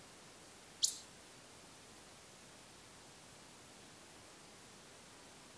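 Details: An Ezo pika in the Daisetsuzan mountains gives one brief, piercing high squeak during autumn pair formation, when females give single-note calls inviting males to call; otherwise only a faint steady hiss.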